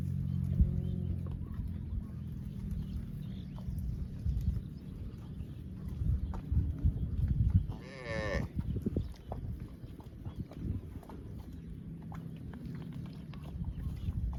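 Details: Cow mooing: a low, deep moo early on, then a higher, wavering drawn-out call midway, over steady low rumbling background noise.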